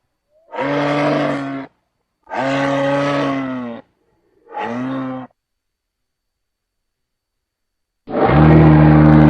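A moose gives deep, drawn-out moaning calls, each lasting about a second, with a louder one at the end.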